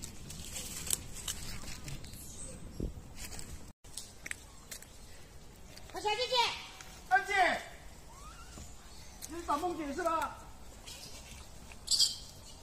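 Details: Wild baby macaque crying loudly after being bullied by its mother: a few arched, harmonic wailing cries rising then falling, in short bursts of about a second, separated by quieter gaps with rustling and faint background noise.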